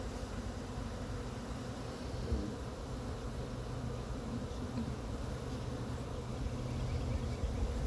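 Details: Honey bee swarm in Chattanooga being brushed off a pine tree into a frame box by beekeepers; even, deep continuous buzzing hum that swells slightly toward the end.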